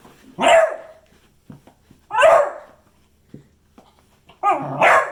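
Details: Beagle producing three separate loud barks, each a sharp harmonic burst that drops in pitch, spaced about two seconds apart, with faint soft sounds between them.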